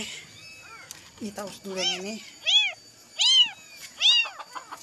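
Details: Kitten crying all night searching for its mother, trembling; high arched meows repeated roughly every second, some lower rougher cries mixed in, with a faint human voice in the background.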